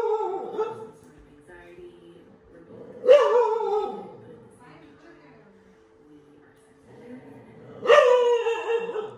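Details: Dog barking at a painting of a dog on a TV screen; two loud barks about five seconds apart, with human speech and a steady electronic hum in between.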